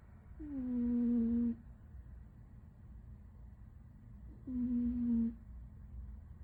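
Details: Pet cat named 77, asleep indoors, snoring: two drawn-out tonal nasal hums, each about a second long and sliding slightly downward, about four seconds apart, with quiet room hum between breaths.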